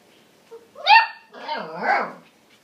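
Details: Young female Siberian Husky puppy talking while trying to make friends with a border collie: a rising whine-like note followed by a longer, warbling, howl-like yowl with shifting pitch.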